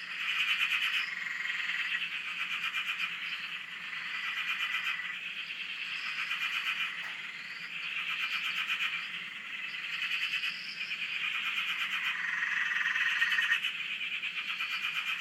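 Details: Frogs calling en masse on a dam in Australia, taped from a shack: steady pulsing croaking chorus in rising and falling surges, with faint higher rising notes repeated throughout.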